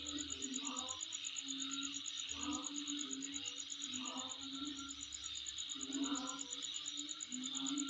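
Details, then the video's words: Insects heard around a home: an unbroken high buzzing band with a fast ticking trill, and intermittent low droning notes pulsing through the background. "Sound Of Insect In My Place"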